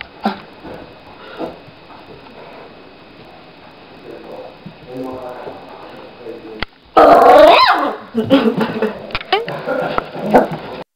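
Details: Several Gordon Setter puppies at play, giving soft whimpers and short squeaky yips through the first seconds, then a sudden loud burst of overlapping yelps and barks after seven seconds, with human voices in the background.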